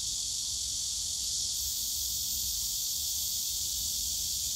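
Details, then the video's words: Loud, seamless buzzing of many cicadas in the Yongsan Family Park bamboo forest in summer, a bright sizzling wall of sound with a faint low background hum. "용산가족공원 대나무숲 매미소리"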